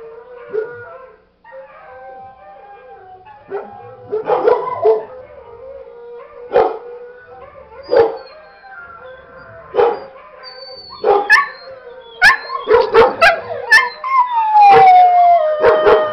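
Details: Pet dog Macon howling along to a recording of other dogs, Sidney and Shadow, barking: a long steady wavering tone with sharp bark bursts cutting in, growing denser and louder toward the end.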